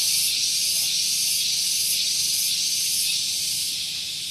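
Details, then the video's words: Very loud cicadas on a morning at Gunung Geulis, Bogor, West Java, beside a vehicle parking area: an intense, unbroken high buzz pulsing in quick regular waves about twice a second, fading slightly at the close. "Santuy Pagi Ditemani Suara Tonggeret"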